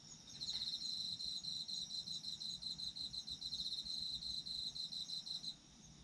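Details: Single sustained burst of autumn insect song: a rapid, evenly pulsed high trill begins shortly after the start and runs for about five seconds before stopping, leaving a faint high background hum.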